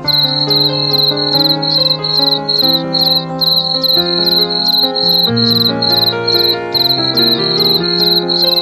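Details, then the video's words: Cricket song of high, sharp chirps pulsing about three times a second in an even rhythm throughout, set against soft sustained music. "Cricket 🦗 song"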